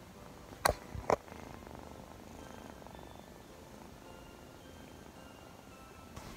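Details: Scottish Fold kitten purring softly in a room, an even low rumble interrupted by two sharp clicks at the start and faint faraway tones.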